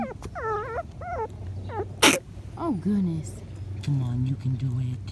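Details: Five-week-old Patterdale Terrier puppies exploring a homemade earth tunnel of black PVC pipe: a run of high, wavering whimpers and short yelping whines, one sharp click midway, then lower drawn-out whines over a steady low hum.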